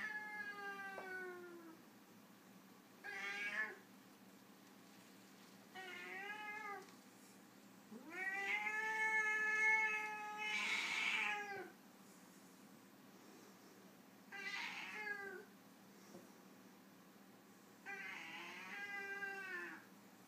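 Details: Foreign White cat, a white Siamese-type breed, in a disagreement: a series of harmonic meows and harsh drawn-out wails, the loudest stretching several seconds, broken by short pauses.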